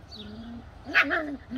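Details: Bedlington Terrier puppies giving a drawn-out whine followed by a brief sharp yelp and wavering squeaks over a low background hum.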